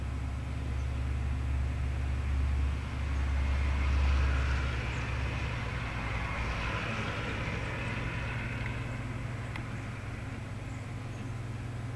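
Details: Steady low vehicle rumble and traffic noise fill the recording, with no clear animal calls.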